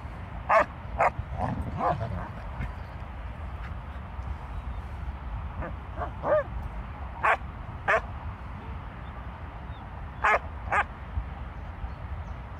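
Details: Leonberger dogs Luis and Elin, eleven years apart in age, giving short sharp barks scattered through the clip, a few close together then spaced out, over a steady low background rumble.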